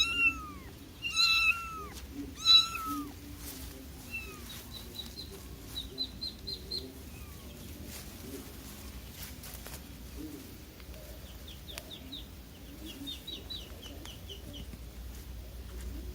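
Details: Young kitten calling its mother with five or six high, falling meows in the first few seconds, then quiet; faint thin high chirps follow in short clusters against a low steady background rumble.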